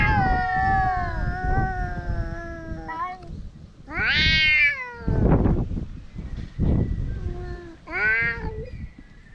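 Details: Stray cats squabbling noisily outdoors in Japan, one possibly Dufy, captured on a GoPro HERO8: a sustained, wavering growl-like moan, then several short, sharp, rising yowls between bursts of rustling and scuffling noise.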